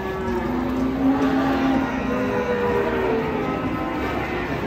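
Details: Cattle from a collection of unusual cows, one of them one-eyed, giving a low, steady, droning moo that lasts about a second, with background music and a faint constant hum throughout.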